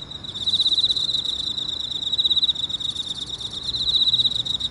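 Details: Emma field cricket calling from a hole in a park at 6:54 on the early morning of 30 August 2018. Rapid pulsed high-pitched chirps in quick bursts ride over a continuous ringing tone, with soft low rumble beneath.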